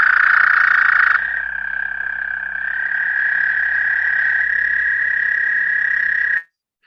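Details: High-pitched musical trill of an American toad, each trill from one toad on a single breath; a sustained even trill that steps in pitch near the start, holds steady, then stops abruptly near the end.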